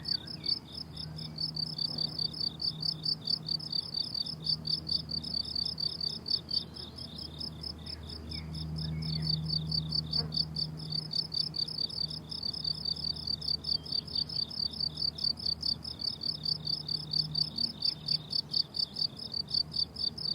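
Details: Crickets chirp in a bright, rapid, regular pulse on a summer meadow, about two beats a second, with a low droning hum below and a few soft bird chirps.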